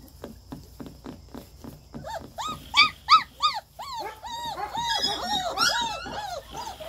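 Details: Young German Shepherd pups start with soft ticking clicks, then break into loud, arched yelping whines that grow into a continuous overlapping chorus of high squeals.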